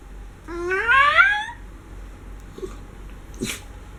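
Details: Miniature schnauzer, a pet being pampered indoors and vocalizing expressively: one rising, whiny, nasal note lasting about a second, followed by quiet snuffling sounds.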